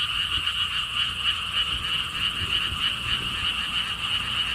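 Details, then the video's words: At Gwangokji lotus pond in Siheung, Korea, a frog chorus fills the air with quick, rhythmic rattling croaks merging into a steady buzzing wall of sound, light wind audible below. "개구리 소리"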